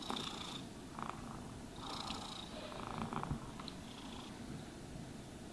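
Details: Domestic cat purring contentedly while being brushed and groomed; a steady low rumble runs throughout, overlaid by soft, swishing brush strokes in bursts.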